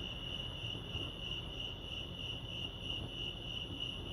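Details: Crickets chirp in a steady, high, pulsing trill at Lake Arrowhead, California, over a low rumble of outdoor background noise.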